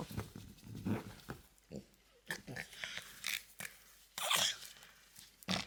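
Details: French Bulldog in a room giving weird snorting and snuffling noises, scattered bursts separated by short pauses, a few harsher hissing snorts near the end.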